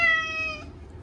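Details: Short-legged Munchkin named Chacha wailing in the bath for the first time in a year: a single loud, steady, drawn-out meow that fades away after half a second.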